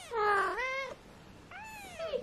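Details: Two thin, rising-and-falling mews from an 18-day-old British Shorthair kitten, one of a litter of four.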